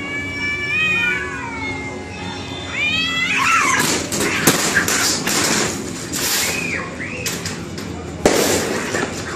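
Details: Cats in a fight: wavering harmonic yowls for the first three seconds, then loud broadband scuffling and hissing bursts with brief squealed cries.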